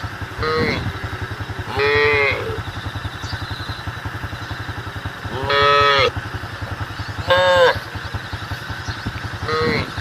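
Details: Cattle in the road call to the herd with five short, harmonic moos at uneven intervals, each curving up then down, backed by a continuous pulsing motor hum.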